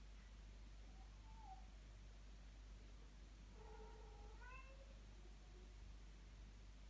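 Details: Blue Maine Coon kittens mewing indoors: one short thin mew, then after a pause a cluster of several high, wavering mews, some rising in pitch, over a steady low electrical hum.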